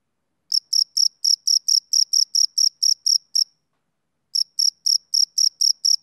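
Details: Male cricket chirping on a summer evening: short, high, shrill pulses repeated about four times a second in a steady run, a pause of about a second, then the same rhythmic chirping resumes. No other sounds.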